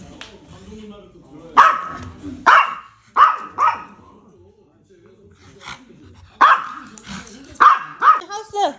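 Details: A brave puppy gives sharp, bright barks in scattered bursts, seven or so spread unevenly across the stretch. A person keeps talking between and over them, as during indoor training with commands.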